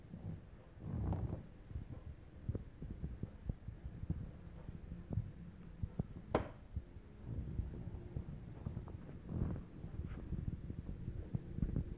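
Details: Low rumbling handling and rubbing noises with soft thumps and one sharp scrape partway through, and no animal voice is heard.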